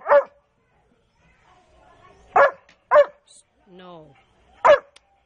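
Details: Large pet dogs at home; four sharp, loud single barks spaced irregularly over five seconds, with a faint whine or voice between them.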